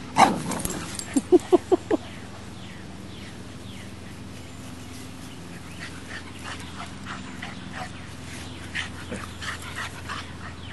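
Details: Max, a Boxer puppy, confronting Baby, a female English Mastiff: a quick run of four or five sharp yips within two seconds, then quieter scuffling and faint yelps over a constant low hum.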